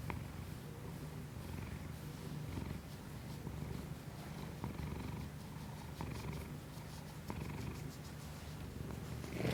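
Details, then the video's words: Continuous low purring from Kiku-chan, a family cat, recorded through a Shure MV88 iPhone microphone. The rumble pulses evenly, with faint airy swells on each breath, a couple of small clicks, and a rustle at the very end. "ASMR新外部マイクで猫のゴロゴロ音を録ってみたI tried to record the rumbling sound of a cat with a new external microphone"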